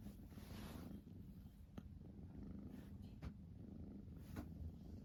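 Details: Siamese cat Rachel purring while biting; a steady low rumbling purr runs throughout, broken by a few sharp clicks.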